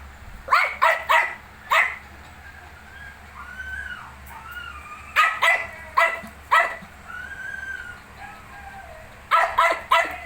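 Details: Shih Tzu with its 19-day-old puppies: three clusters of quick, sharp barks, with drawn-out, wavering whines rising and falling between the clusters, set against steady low room hum.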